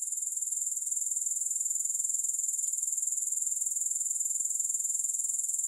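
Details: Unbroken shrill trilling of grasshoppers, no music, made of quick regular pulses at a very high pitch that hold a constant loudness from start to finish.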